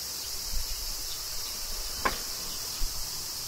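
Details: Cicadas singing during summer rain in Kyoto, Japan: a steady, shrill, high-pitched hiss holds throughout, with a sharp tap near two seconds and soft low rumbles beneath.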